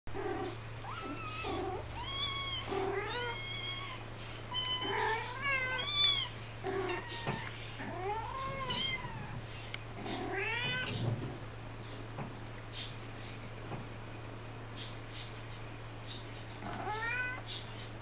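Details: Mother cat talking to her kittens: a busy run of short, harmonic chirping meows and thin, high mews, densest over the first eleven seconds, then sparser calls over a steady low hum.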